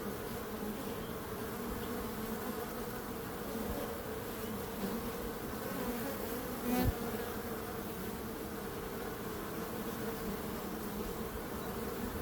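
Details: Bees humming in a steady, dense drone with a low, even tone that barely changes in pitch or loudness, broken only by a brief click near the seventh second.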